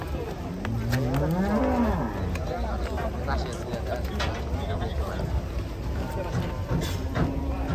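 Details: Cattle being unloaded from a truck, agitated and panicking its owner: one low, rising-then-falling moo around the first two seconds over steady engine rumble and outdoor background noise.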